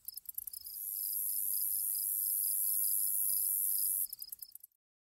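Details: Grasshoppers chirping: a few ragged clicking bursts open, then a sustained shrill hiss with evenly pulsed lower chirps, ending in scattered stuttering clicks that fade to silence.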